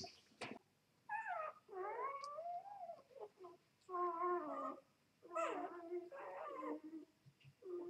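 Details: Two-day-old Vizsla x Labrador puppies, Vizsla mother and Labrador father: high, wavering whimpers and squeals in a series of separate cries, each bending up and down, with short quiet gaps between.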